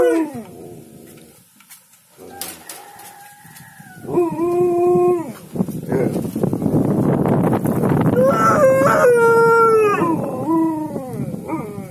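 An Alaskan Malamute howls in drawn-out, wavering tones that bend up and down, with a person speaking nearby.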